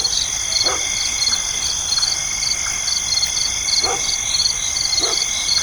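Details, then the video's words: Insects chirping at night: a steady high shrill chorus with rapid pulsed trills and several constant ringing tones, plus a few short lower calls from another animal, possibly distant dog barks. "the sound of insects chirping"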